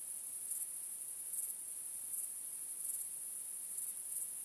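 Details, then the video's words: Night crickets in a continuous high, thin ringing chorus, broken by five stronger chirp pulses spaced just under a second apart over a few seconds. The background is otherwise quiet, with no voices or music. "Cykanie Świerszczy 🦗 Gwieździstą Nocą 🌙 {Night Crickets Sound}"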